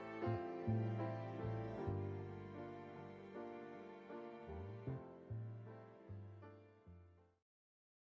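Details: Slow, sad piano music with sustained low notes fades out into silence near the end.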